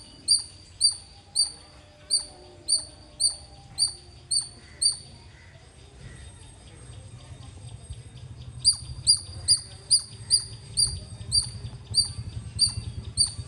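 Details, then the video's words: Loud squirrel chirping: sharp, high chips with a bright upper overtone, repeated about twice a second. A run of nine calls is followed by a pause of several seconds, then a second steady run of about eleven, over low background rumble. "Loud Squirrel ❤️ Chirping Sounds - Squirrel Lovely sounds 🐿 | ఉడత అరుపులు మీరే వినండి.."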